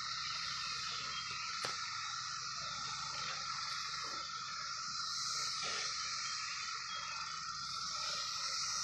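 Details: Massed 17-year cicadas in fruit trees produce a constant, shimmering hiss layered over a steady mid-pitched drone, with a few brief clicks.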